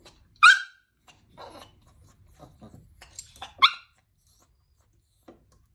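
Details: Angry Chihuahua indoors, blocking a Yorkie from entering the doggy door. Two sharp, high barks about three seconds apart, with soft shuffling and faint muffled sounds between them in a small room.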